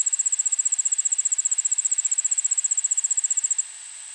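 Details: Allard's ground cricket (Allonemobius allardi) singing a steady, high-pitched trill of rapid, evenly spaced pulses in a suburban backyard in Montoursville, Pennsylvania, at 1 pm on August 9, 2016.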